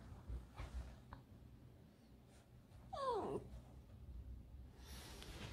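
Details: Alice, a pet fox kept at home, gives one brief, sharply falling whine around the middle of a quiet indoor recording, with faint rustling and breathing noises before and after.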